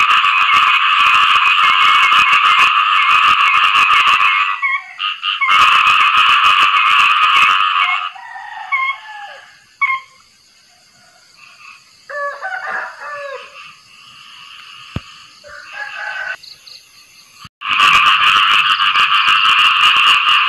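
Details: Post-rain mating calls of khiat i-mo frogs: bursts of loud rattling chorus at the start and end, with a quieter stretch in the middle holding scattered softer croaks.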